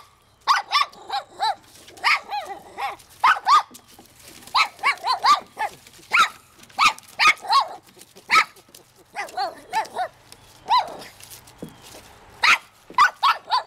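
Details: Pet Shih Tzu Francie keeps up a long run of high, yappy barks and whiny yelps as she tries hard to catch a fish at a pond. The calls come in rapid clusters of two to four, with short quiet gaps.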